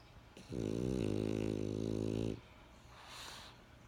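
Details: A French Bulldog snores with one long, gravelly, droning intake of breath lasting nearly two seconds. A faint, soft breath out follows in a quiet room.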